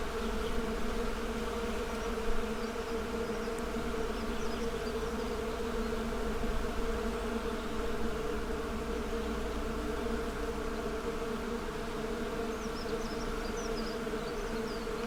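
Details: Steady collective hum of honey bees, dense and unbroken, with a brief click early on and faint twittering birds toward the end.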